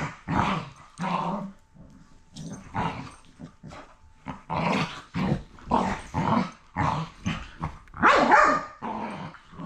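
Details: Rough play between two rescue dogs, heard as a steady string of short, harsh growls and grumbling snarls, each burst about half a second long, continuing without pause.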